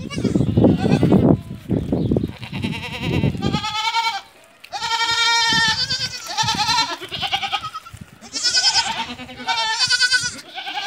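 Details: Barbari and Sojat female goats, does that have given birth once or twice, kept on a farm in Ajmer, Rajasthan, bleat repeatedly in long, tremulous, nasal cries after a burst of low rustling and knocking at the start.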